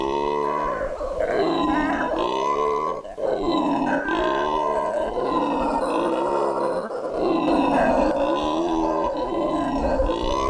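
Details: Black howler monkeys in Barba Azul Nature Reserve, Bolivia, give a sustained, rasping roar that surges and dips in long, throaty waves.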